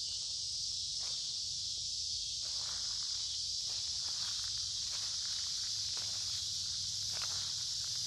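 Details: Noisy cicadas in woods beside a creek, midsummer, warm humid weather; their loud continuous high-pitched drone never pauses, with soft crunching footsteps scattered through the background.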